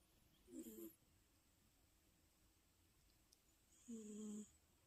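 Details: British Shorthair pet cat snoring indoors: two short, low nasal snores about three seconds apart, the second a steadier humming drone, with quiet room noise between.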